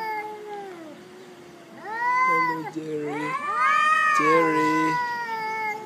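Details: Fighting black cat on a cat island screaming: sustained moaning howls that bend up and down, growing louder into harsh, nasal wails in the second half, with a low buzzy undertone.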